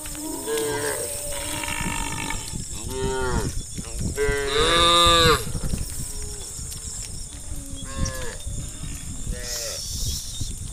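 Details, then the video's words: Hundreds of tame cows on village roads, mooing repeatedly: a run of overlapping harmonic moos of varying length, the loudest near the middle, with low rumbling noise and steady high hiss throughout. "Hundreds of herds of tame cows roam the village roads, the sound of cows mooing"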